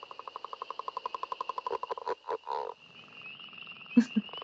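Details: Northern Leopard Frog calling from far off but still audible: a rapid, rattling snore of pulses, likened to a growling leopard, breaking into low, chuckling, laugh-like grunts.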